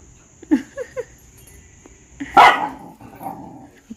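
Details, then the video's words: Pet dog reacting as outsiders enter the house: three quick short yips, then after a pause one loud, harsh bark with a rougher tail, over a steady high hum and low room noise. "when outsiders enter our house, dog reactions be like"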